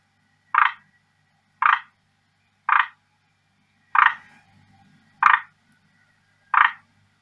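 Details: Captive male forest green tree frog, kept at home since around May 2019, calling hard to attract a female: short rasping croaks centred on mid pitches, six bursts about one per second, otherwise quiet.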